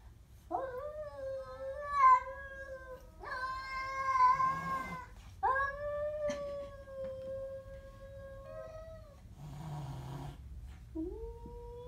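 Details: Siamese cat confronting a stray: a series of sustained, moaning yowls, each several seconds long and fairly steady in pitch. Brief gaps separate them, and a soft low rumble sits underneath.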